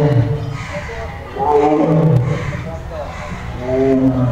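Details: A caged Royal Bengal tiger gives deep, rumbling roars in repeated bursts, with a human voice nearby.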